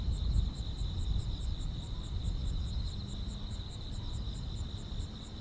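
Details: Insects in the grass on a calm rural summer night give an unbroken shrill trill plus fast repeated higher chirps, set against steady low-pitched rumble and faint hum.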